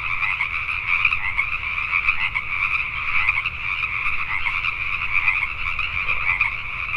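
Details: Many Pacific tree frogs croak together after dark in Richmond, British Columbia, Canada, their rapid overlapping creaks swelling and ebbing slightly in loudness without pause.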